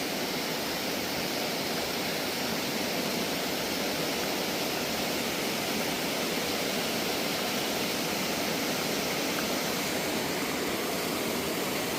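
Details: Loud, steady rushing of a river in full flow after heavy monsoon rain in Rajaji Park, with no animal calls heard.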